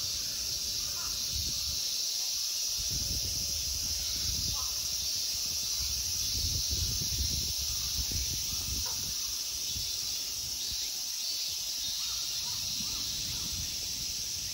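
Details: Continuous shrill buzzing of summer insects fills the Ikegami Honmonji temple park in Tokyo, Japan, an unbroken high hiss, with low thuds, movement and faint voice-like sounds underneath.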